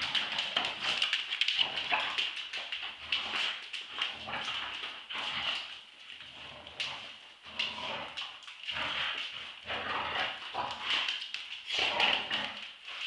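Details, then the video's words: Two Staffordshire Bull Terriers, Roxy (2 years) and Ralph (8 months), wrestle in a tug-of-war play fight. Rasping growls come in quick irregular pulses, several per second, with short lulls and shrill whimpers. "dog fight tug of war round 2"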